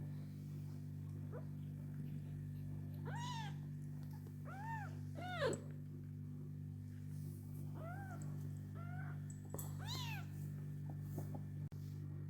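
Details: Domestic cats with their kittens, hashtagged as street cats: a run of about nine arched meows, each rising then falling, bunched between three and ten seconds, over a constant low hum.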